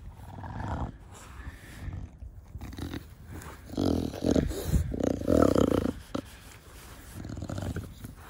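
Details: Da Vinci, a pet bulldog, in a garden with its owner, snorting with the breed's noisy 'fugo fugo' breathing; low, grating snuffles swell in a louder run of rasping breaths near the middle, quieter huffs before and after.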